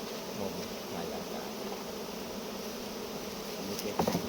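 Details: Honey bees at a hive during honey harvesting, giving a steady low droning hum that holds one pitch throughout, with faint rustles and a brief clatter near the end.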